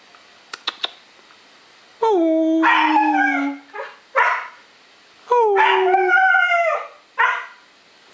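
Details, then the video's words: Young Siberian huskies howling together: a long howl sliding gently downward, short yelping bursts between, then another drawn-out howl with a second voice above it, a few faint clicks at the start. "Young HUSKIES HOWLING"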